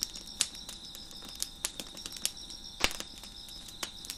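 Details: Crickets chirping behind a crackling fire on a deck: a steady high-pitched ringing trill in two thin pitch bands runs throughout, broken by sharp pops and snaps of burning wood every fraction of a second.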